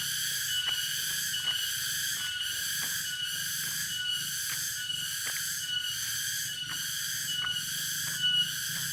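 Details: Cicada (tonggeret) calling in Dago, Subang, West Java: steady high-pitched droning buzz with regular pulses under a second apart, overlaid by faint repeated clicks and a brief louder burst near the end.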